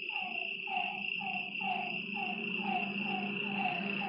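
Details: Lakeside frogs at night give slurred, descending notes about twice a second over a continuous high-pitched insect buzz and a faint low drone.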